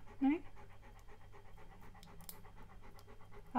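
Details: Siberian Husky named Key reacting to a Hexbug toy: quick, steady, rhythmic panting breaths run through the whole stretch, framed by short louder voiced sounds near the start and at the very end.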